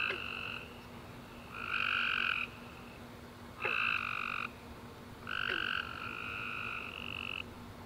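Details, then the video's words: Tree frogs singing after rain on a warm summer night: repeated buzzy two-toned chirps, some short and some drawn out, with brief gaps, a couple of faint clicks, and a low continuous hum. "Tree Frog Chorus After A Warm Rainy Day"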